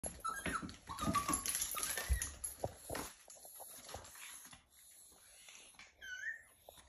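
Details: A Yorkshire Terrier cries and whimpers in short, broken bursts during difficult nail trimming while in a grooming hammock, with handling noises around it.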